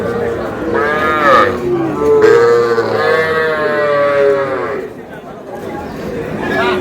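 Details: Sahiwal bull calf purchased by a Brahmanbaria farmer in Bangladesh on 20 May; several drawn-out, rich moos follow one another, some rising then falling, one held flat and strained, with faint voices behind.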